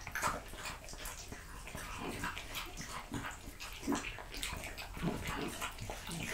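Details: Raw-fed French Bulldog chewing quail, lamb kidney, diced lamb and beef testicle; steady slurpy mastication and soft wet clicks, fairly even loudness throughout.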